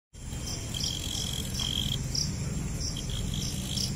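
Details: Cricket, locally called jhingur, giving short high chirps repeated roughly every half second, with a steady thin tone just below them and heavy low rumbling background noise.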